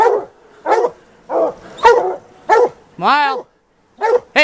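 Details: Plott hounds of the White Deer line, a couple of hounds hunting a big tom mountain lion in the afternoon after cutting its track. They give short, harsh, harmonic barks roughly every half second, broken by one longer, arching, drawn-out bay near the end.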